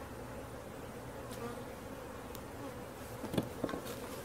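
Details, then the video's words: Honey bees swarming while being caught, an even low hum that runs steadily, with a couple of brief clatters near the end. "Catching Bees start to finish bee swarm"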